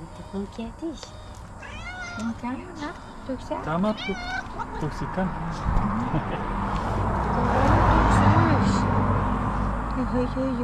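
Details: Domestic cat, female, happy on seeing her owners, meowing: several short rising-falling harmonic meows in quick succession, mixed with a person speaking affectionately and low background rumble.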